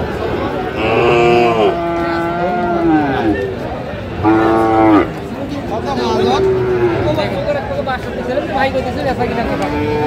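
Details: Sahiwal bull calves at a Gopalganj, Bangladesh cattle market on 22 July 2025 give several short tonal moos spaced a couple of seconds apart, each sliding a little downward, while men haggle over prices in the background.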